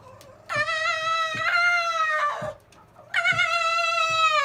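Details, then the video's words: Silver fox Zorro goofing around and whining at older brother Tod near their kennel; two long, level, clear whines with bright harmonics, a faint thump or two in the gaps. "Zorro the silver fox whining and yawning"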